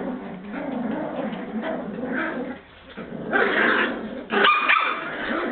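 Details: Border Terrier puppies of Bois Caiman, several together, let out a dense muddle of yaps and growly whines, with a brief quieter lull near the middle before sharper yips return toward the end.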